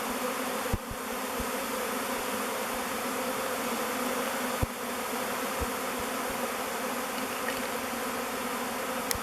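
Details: Thousands of honey bees in a swarm swirl around a log hive called Bee Beard, choosing it as their future home; a dense, steady hum with low droning bands fills the air, broken by a few faint clicks.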